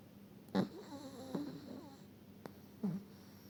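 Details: Chihuahua called Eva, from Sochi, snoring while asleep: soft low snorts in three short bursts, with faint whiny tonal wavering between them in a quiet room.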